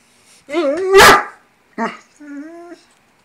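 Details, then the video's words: Foster Great Dane asking for breakfast with talkative vocal sounds: a wavering whine, a loud rough bark-groan, a short yelp and a steady drawn-out whine at the end. "Great Dane talking"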